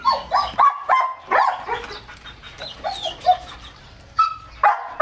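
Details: Excited male German Shepherd x Labrador mix dog, fed a raw diet, around a meal of raw chicken: a string of high, tonal whining yelps, some rising and some falling, with short gaps between them.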